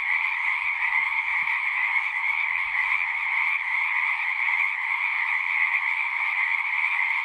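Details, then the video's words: Massed frogs keep up a continuous high-pitched trilling chorus, the calls blurring into one shimmering, even sound, while a few soft low thumps appear early on. "One hour of singing frogs."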